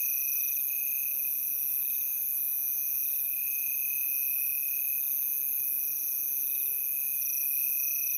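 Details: Unbroken high cricket trilling from many insects, layered piercing tones holding level throughout, with a faint soft low whistle near the end.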